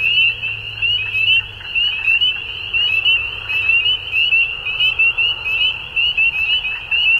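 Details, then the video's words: Dusk frog chorus, many callers trilling at once in fast, high-pitched pulses that swell and dip slightly every half second or so, over a soft low hum early on. "Frogs At Dusk"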